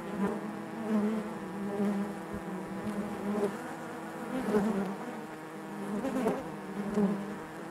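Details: Honey bees inside their hive, a dense steady drone centred low with harmonic bands stacked above, swelling and easing in gentle waves, with brief sharper buzzes of single bees passing close.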